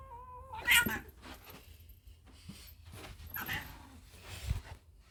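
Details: Domestic cat hissing: two harsh, breathy bursts of broadband noise, the first preceded by a short tonal whine and the second about three seconds later, over a low background rumble.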